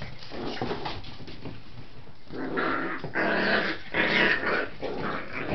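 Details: Seven-week-old Scottish Terrier puppies playing, with rough, throaty growls and yips tumbling over one another in uneven bursts, muffled scuffling throughout.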